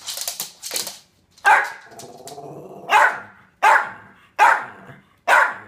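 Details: Mickey, a Jack Russell Terrier wearing a jacket, barks sharply at short irregular intervals, about six loud yappy barks with low growly rumbling between them.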